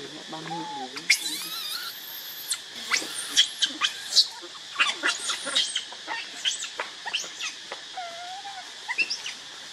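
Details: Baby monkey Leo, also called Rainbow, cries while begging its mother for milk. Shrill, high squeals and sharp chirps come in rapid bursts, with a few lower wavering whines and a steady insect drone behind.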